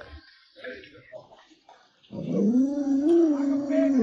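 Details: Alaskan Malamute Lolo, a pet dog, gives a smooth, drawn-out howl in its second half, wavering gently and rising slightly before falling away, after a stretch of soft human voices and small noises.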